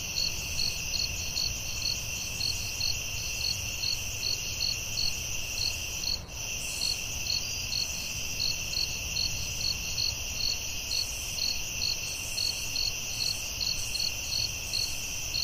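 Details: Crickets in a night forest: dense high chirps, around two to three per second, ride on a continuous piercing trill, with a momentary click midway and faint low rumbling.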